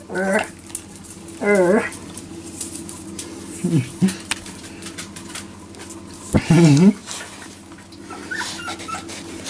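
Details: Jack Russell Terrier puppies, four weeks old and newly walking, whimper indoors: short wavy whines come in separate bursts, two early, one softer and lower midway, and a strong quavering cry later, with handling noises and a quiet voice between.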